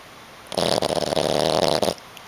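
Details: A female Boston Terrier, a habitual snorer, snores while sleeping with eyes partly open in one long, rasping, rattling breath lasting over a second.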